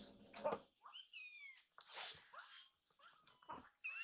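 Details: Two rescued kittens hungry for food and extra milk; short rising and falling mews mixed with bumps, rustling and a loud handling thud indoors.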